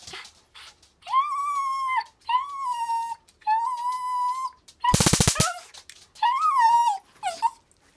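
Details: Nine-year-old female dog, excited and eager to get her paws on a taser, gives long high whines that bend up and then level off, repeated in runs, broken once by a sharp crackling electric taser burst.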